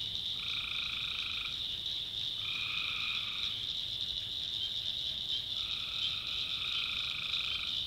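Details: Tree frogs at night in a North Carolina backwoods swamp: three nasal, steady-toned calls of one to two seconds each, spaced a few seconds apart, over a constant high-pitched shrill chorus of insects and frogs.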